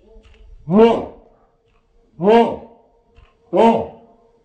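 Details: German Shepherd Odin reacts to an approaching hot air balloon with three full, ringing barks spaced roughly one and a half seconds apart. A faint steady hum sits under them.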